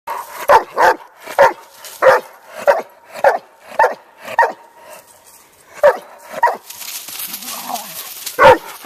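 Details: Hundred-pound Doberman barking loudly right into other dogs' ears while they ignore him; about a dozen short, sharp, irregularly spaced barks, then a brief hiss before one final bark.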